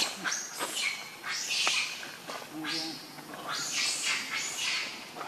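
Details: Rainbow the monkey, very angry, protecting Lucie from Kachoy: high-pitched, shrill screeches in repeated bursts about every second, some rising then falling, with lower grunting sounds between them.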